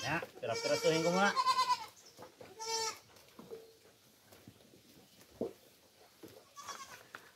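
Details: Pet goats being fed coconut pulp on a farm give a long wavering bleat, followed by two shorter bleats, while a man talks nearby and music plays faintly.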